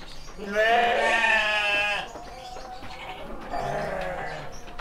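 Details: Young male sheep, seven months old, kept on a breeding farm in Sidomulyo, Kediri: one loud, quavering, nasal bleat lasting over a second, then a softer, lower bleat, against faint barn noise and distant voices.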